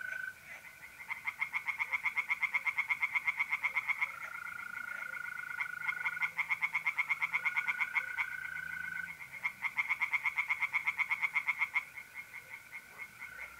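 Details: Tree frogs singing in a pond on an April night in north-east Italy: rapid pulsed croaks in bursts of several seconds, with a steady high trill from mole crickets running underneath and between the bursts.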